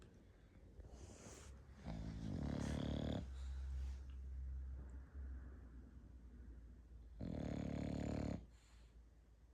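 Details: English Bulldog in a house snoring in long grating, buzzy breaths with a deep low rumble underneath; a loud snore returns after several seconds of quieter wheezy breathing.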